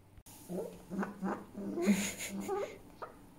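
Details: Pet fox grumbling angrily indoors: low, throaty, pulsed chattering notes repeated about three times a second, with a brief breathy hiss in the middle, over soft room hum.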